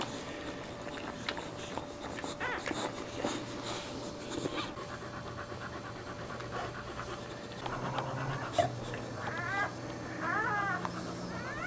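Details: Boxer dog in labour with four puppies, licking the second newborn and clearing the placenta as nursing begins; soft rhythmic panting and rustling, then several rising and falling high whines near the end.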